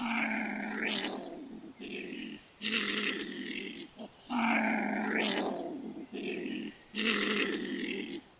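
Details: European pine marten at night gives harsh, rasping, deep vicious-sounding growls in bursts about a second long, rising and falling in pitch, with short pauses between them.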